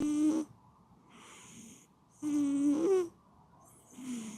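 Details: Sleeping domestic cat snoring indoors. Loud wheezy inhalations carry a steady whistling tone and last about half a second each. They repeat roughly every two seconds, with softer hissing breaths in between.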